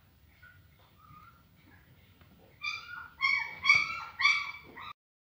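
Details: Faint, thin whimpers from aggressive Rhodesian Ridgeback puppies build into four loud, high, clear yelps in quick succession near the end, then sudden silence.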